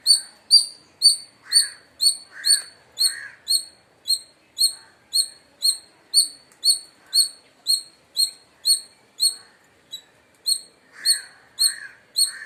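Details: Palm squirrel in India giving a loud chirping series. Bright, high, clipped notes repeat about twice each second, with a few duller, lower chattering bursts near the start and end.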